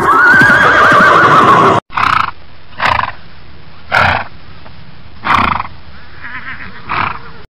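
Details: Horse letting out a loud, wavering high whinny, then a series of short, breathy snorting calls spaced about a second apart.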